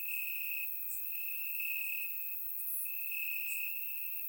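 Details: Night chorus of crickets chirping in grass during warm summer in Bulgaria, surround-recorded; an unbroken shrill tone with a few louder stretches and sparse sharp high ticks over it, nothing else audible.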